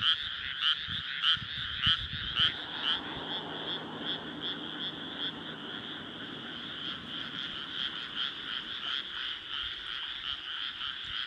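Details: Frogs in a powerful chorus in rice paddies under a rising moon, Nara Prefecture, Japan, on an early summer night, 25 May 2024; dense croaking mass with several louder pulsed calls repeating about every half second early on, faint low rumble beneath.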